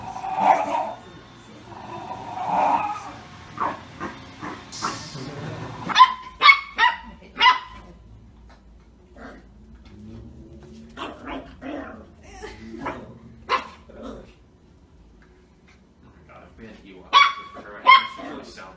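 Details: Shiba Inu barking in a run of short, sharp barks with high yelps, some in quick pairs, after a stretch of muffled barking; gaps between bursts, with a little music and speech in the background.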